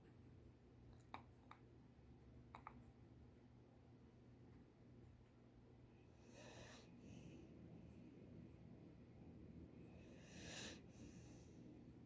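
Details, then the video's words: A dog snoring: rough, breathy rasps swell into a steady broadband rumble through the second half, with a few sharp clicks and faint snorts early on, indoors in a quiet room. "Dog snores"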